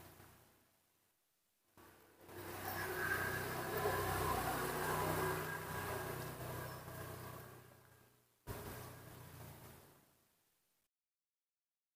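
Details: A car engine revs and drones for several seconds, then cuts off with a short burst before fading into silence.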